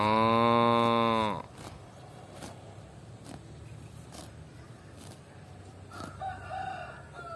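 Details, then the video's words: Cows grazing and eating grass; a loud, deep moo with rich harmonics lasts just over a second at the start and cuts off sharply, followed by quieter rooster-like calls and scattered clicks in the background. "cow sound"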